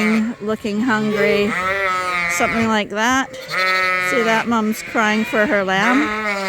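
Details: Suffolk lambs in a barn at Ewetopia Farms, groups mixed after an open gate; nearly continuous chorus of long, quavering bleats, several lambs calling at once with rising and falling pitch, few pauses.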